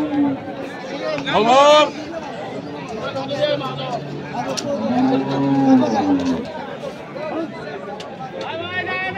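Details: At Kaharol market in Dinajpur, Bangladesh, on 5 January 2025, during trade in crossbred bulls for farm rearing, a moo rises and falls in the middle. Men haggle over prices, with a sharp shout near the start and crowd noise throughout.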